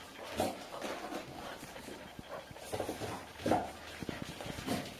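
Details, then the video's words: Golden Retriever grandmother, aged five, slipping away from her 8-week-old grandpuppies seeking milk inside their playpen; Haute-Savoie, France, October 2013. Rapid rhythmic panting puffs with faint whimpers and rustling. "Golden Retriever Grandma trying to escape her Grandpuppies"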